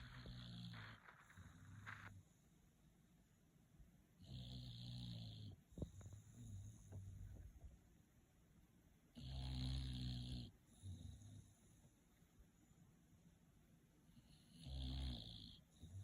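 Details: A sleeping bulldog snores in deep, rumbling low breaths, each lasting about a second and recurring roughly every five seconds, with a rasping hiss on some breaths and quiet pauses between.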